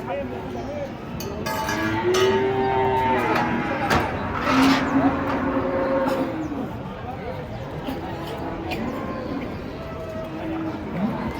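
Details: Giant cattle being unloaded from a truck, lowing in several overlapping drawn-out moos, some low and steady, others rising and falling, over constant crowd-like chatter and clattering background noise.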